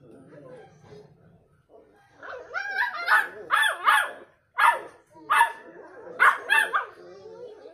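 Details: Beagle puppies barking back and forth to each other: a soft low murmur of a human voice, then a lively run of short, sharp, yelping barks in quick uneven bursts, several overlapping, some rising then dropping in pitch.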